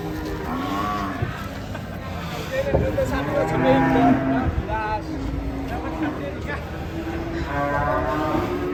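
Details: Cattle in Indonesia, described as angry while being led on a long rope; drawn-out low moos with rising harmonic bands recur through the clip over a crowd of talking people and outdoor noise.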